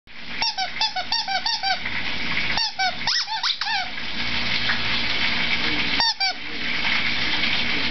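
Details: Davio, a Shih Tzu, at home indoors: short, high, squeaky whines come in quick bursts early on, again around three seconds and near six seconds, over the steady sizzle of food cooking and a television playing.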